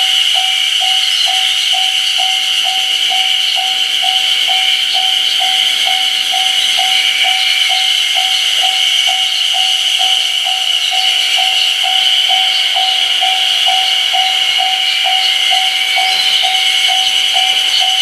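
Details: Chorus of Ezo haruzemi cicadas at full strength beside the Kamaishi Line's Ōgiri crossing on 1 June 2019. A steady, shrill wall of buzzing runs throughout, overlaid by a regular lower pulse repeating roughly twice a second.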